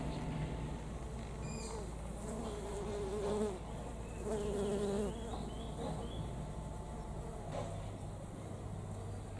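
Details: Honey bees gathering at knotweed flowers at a home in Thailand, one day before departure from the country. A low, droning buzz swells twice and then fades over a steady outdoor background hum, with faint ticks and rustles.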